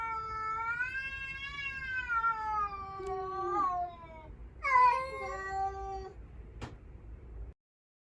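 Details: Tense standoff between a household's rescued cats and a stray that suddenly appeared; one long wavering yowl slowly sliding downward, followed by a higher, sharper cry that drops and trails off.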